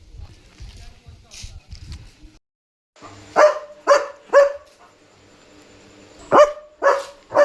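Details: German Shepherd at home at night, barking to signal another dog outside; after about three seconds of low rustling and faint voices, three sharp barks, a pause, then three more, each roughly half a second apart.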